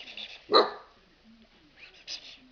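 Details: A Golden Retriever puppy in Poland gives one short, sharp bark on the spoken command "speak", then is praised and sent to fetch, with a person talking around it.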